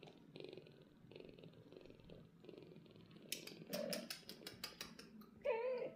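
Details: Two young golden British Shorthair kittens and their mother cat, resting in a cattery, purr in a steady, throbbing rhythm, then a short, rising meow follows.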